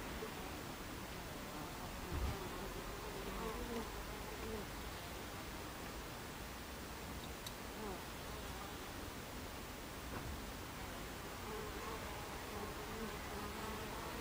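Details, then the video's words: Steady buzzing of Buckfast bees at a beehive entrance, 26 July 2013, 14:30. A continuous swarm hum carries scattered brief flight whines and a soft low thump early on. "Beehive Entrance Buckfast Bees"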